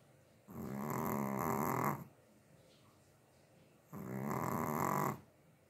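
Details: Sleeping Chihuahua snoring indoors: two long raspy breaths, each about one and a half seconds, separated by a quiet pause of about two seconds.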